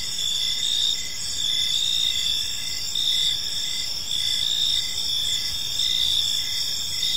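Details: Steady high trilling of crickets in a peaceful park at evening, an even chorus with subtle rhythmic pulses and little variation, quiet low hiss underneath.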